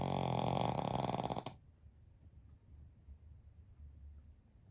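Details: Sound asleep, a Pekingese x Shih Tzu mix among three dogs napping as a family lets out a rough, grunting snore of about one and a half seconds with fast fluttering pulses, followed by low quiet breathing.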